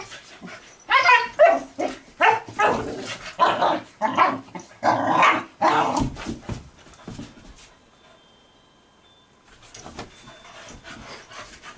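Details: Barking from two puppies playing together on their first day, after hours of play. A quick run of loud, sharp barks comes roughly every half second, then stops, leaving quiet room sound with faint movement.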